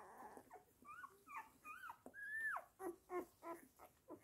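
A Weimaraner gives a string of high, nasal whines, one sliding up into a long wavering cry. Short yelping notes follow, repeated about three times a second.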